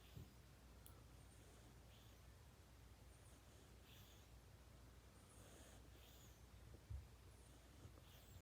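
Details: Snoring kitten, fast asleep, sounding almost human: faint breathy snores every couple of seconds over low indoor hum, plus a brief soft bump near the end.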